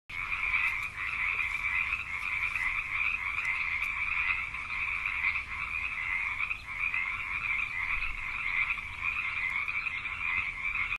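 A dense chorus of many frogs, their overlapping croaks merging into a steady, buzzing drone.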